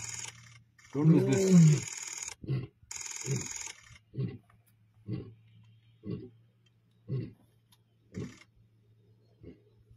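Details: Male lions in the Masai Mara on 29 December 2023, the Black Rock males Olobor and Oloshipa facing the Salas males in a fight: one loud rough roaring burst, then a fading run of short, deep grunts about once a second over a steady low hum.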